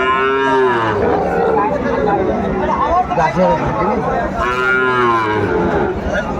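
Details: Two drawn-out, low, resonant moos, one at the start and one late, from a Sahiwal bull being sold at a Madaripur cattle market, Bangladesh, 10 September 2024, with people chattering throughout.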